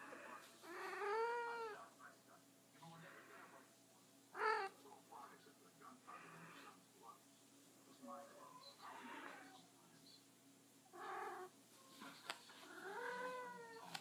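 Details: A house cat, a she that hardly meows, gives arched rolling trills at the opening and again at the close, with a sharp middle chirp. A person talks quietly to her in a small room.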